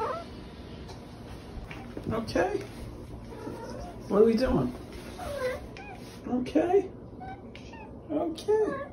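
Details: Indoors, the pet cat Dakota answers a person with scattered arching meows resembling "okay", a few loud calls spaced a couple of seconds apart, mixed in with human speech.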